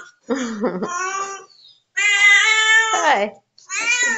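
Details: Domestic cat belonging to a neighbour giving several drawn-out meows, the longest lasting over a second and bending downward at the end, with short pauses between calls; tonal and fairly high-pitched.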